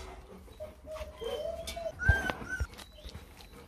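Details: Purebred Rottweiler puppies, 24 days old, eating their first meal. A thin whine glides up and then falls, followed by short, higher squeaky whimpers. Underneath is a low rumbling background with faint voices.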